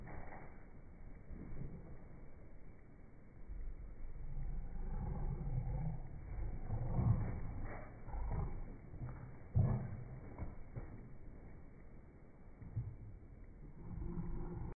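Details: An American Cocker Spaniel playing tug-of-war with a rope gives low, rumbling growls that swell and fade in uneven bursts; recorded June 2019.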